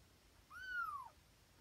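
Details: One twenty-day-old Tonkinese kitten from Lana's litter, waking in the morning, gives a single clear, high meow that rises briefly and then glides steadily downward, lasting about half a second against a quiet room.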